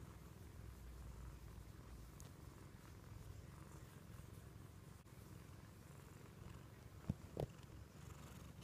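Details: Pet American Shorthair cat purring during loving cuddle time, a continuous deep rumbling vibration of even strength, joined near the end by two short soft thumps or rustles from handling.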